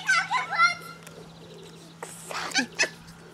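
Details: Labrador Retriever puppies from Herzhorn, Germany, with their mother: high, wavering squeaks and whines with harmonic bands in the first second, then quieter scattered squeals and clicks.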